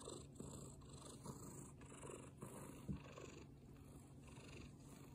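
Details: Black-and-white tuxedo domestic cat purring loudly in the morning while its tummy is tickled, with another cat watching from behind; a steady low rumbling purr pulsing in rhythmic breaths about every half second, with a soft background hiss.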